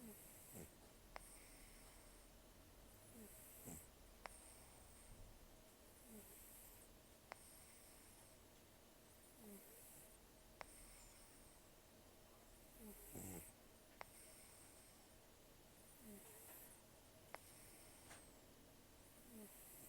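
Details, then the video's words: Sleeping rescued cat Taro, aged an estimated 10 to 14 and nearly toothless from periodontal disease, snores heavily: faint, breathy rasps roughly every three seconds under a steady indoor hiss, with occasional soft clicks. "ねこのいびき 猫 いびき"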